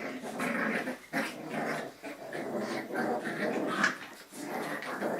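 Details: Jack Russell Terrier puppies of litter A in a breeding kennel, playing in the evening, producing a steady rough growling that runs almost without break, dipping briefly near one, two and four seconds, indoors.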